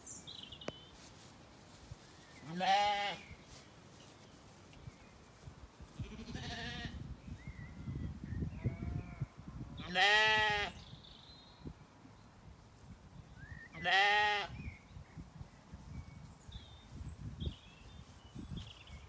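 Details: Weaned Zwartbles lambs relaxing in an orchard on an Irish farm in County Kilkenny at evening; three strong wavering bleats at roughly 3, 10 and 14 seconds plus a fainter one, with birds chirping in the background and soft rustling.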